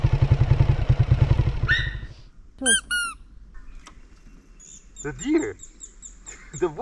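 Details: A deer watching passers-by in summer in Hokkaido, Japan, gives sharp, high squealing calls that drop in pitch, over an idling engine and voices; the area has many dairy farms.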